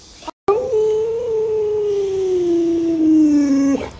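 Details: A pet Alaskan Malamute named Luoluo, reacting at home while its owner lies sick in bed, holds one long smooth howl for about three seconds, starting higher and gliding gradually downward before stopping abruptly.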